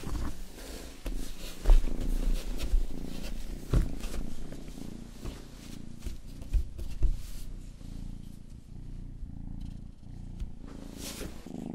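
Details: Rang-i, the youngest pet cat of the household, grooms a listener's ear at a binaural microphone for ASMR; a dense, low rumbling purr runs throughout, broken by frequent sharp wet licking clicks and soft thumps.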